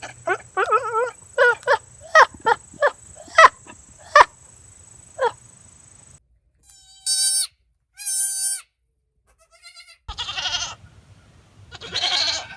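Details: Goat calls: a quick run of short, clipped bleats in the first five seconds, then two long, high, steady bleats, followed by rougher, raspier cries near the end.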